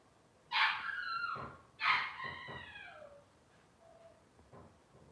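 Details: Young Cavalier King Charles Spaniel puppies in a kitchen let out two loud squealing whines that fall in pitch, followed by softer faint whimpers and light shuffling.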